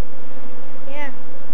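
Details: Kenyan swarm of African honey bees, Apis mellifera scutellata, climbing onto people as it is caught. A continuous low buzzing hum, with one brief rising human exclamation near the middle.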